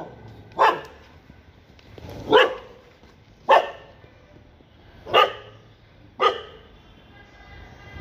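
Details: Mother dog with her newborn puppies barking: five sharp, single barks, each spaced roughly one and a half seconds apart, over a quiet background.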